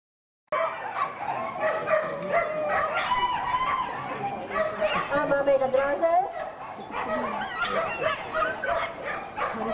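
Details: Female Whippets at the Lednice Hare race heats make a dense chorus of rising and falling whines and yips. The calls come in fast, uneven succession with human voices mixed in.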